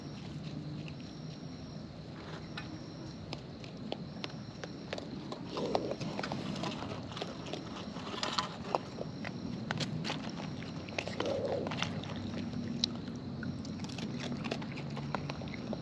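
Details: Wild raccoons eating close up, their chewing heard as dense, irregular crunchy clicks and wet smacks in quick bursts, over a steady low background hum with a couple of brief muffled squeaks.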